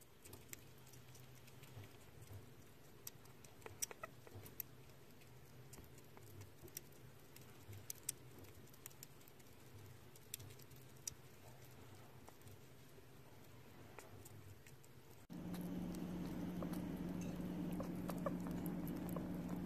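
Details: Sugar glider eating, a steady stream of tiny crunching clicks and soft patter, several sharper bites standing out; toward the end a louder constant hum rises in the background.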